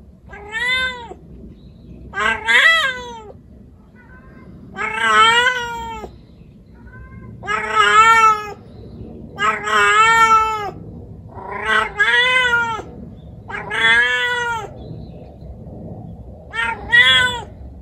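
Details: Female white calico kitten Kukuru, in heat at just over four months, calling to attract males with loud, wavering, drawn-out yowling meows, some gravelly and bending in pitch, coming in close bursts one to two seconds apart.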